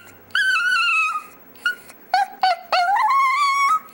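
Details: Pet chihuahua "singing" indoors: a long high howl sliding downward, then a few short yelping notes and a rising, wavering howl that holds steady to the end.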